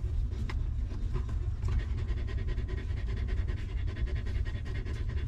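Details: Stray mother dog caring for her puppies in a rough place. Quick, evenly spaced panting breaths sound throughout, each a short airy burst, layered over a persistent low rumbling background.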